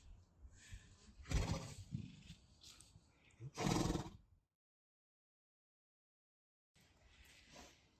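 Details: Friesian mare Peach at her stable on the day she is first ridden, learning to carry someone on her back: two loud breathy bursts about two seconds apart, then a gap of silence and faint rustling.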